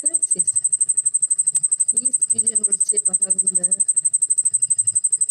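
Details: A cricket, moving its wings as it calls, gives a loud, very high, rapidly pulsing chirp while a woman nearby talks excitedly, marvelling at the sound and how long it keeps calling.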